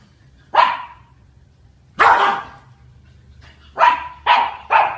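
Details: [1, 'yes', 'bark', 'A dog named Charlie at Queena HSE barks at a big dog on October 14: five sharp, loud barks, two spaced apart and then three in quick succession near the end, over a faint low hum.']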